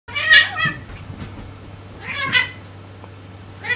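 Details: A homeless kitten newly taken in, meeting the resident cat for the first time indoors, gives two clear high meows about two seconds apart, each a short wavering cry, with a third starting at the end.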